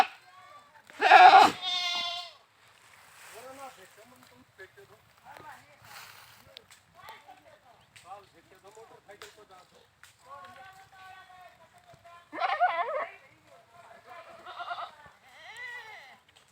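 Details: Goat bleating: a loud, wavering, harmonic bleat near the start, then a long quieter stretch of soft sounds, and a second series of shaky bleats around twelve to fifteen seconds.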